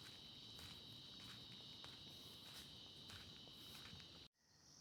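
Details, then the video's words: In a forest with jackfruit trees and a dirt road in central Kandy, Sri Lanka, insects give a steady, high-pitched drone, with footsteps crunching underneath. "அந்த பூச்சிகளோட சத்தத்தை நல்லா கேளுங்க."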